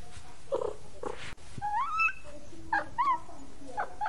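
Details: Kittens of a stray mother cat: a few breathy squeaks, then clear upward-sliding mews and a short bent meow, spaced about a second apart, with a low steady background hum.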